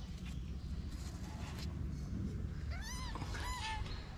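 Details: Street kittens in Morocco, hidden by their mother in a shaded place, give a few short, high, arching mews close together near the end, each rising then falling, over a steady low outdoor rumble.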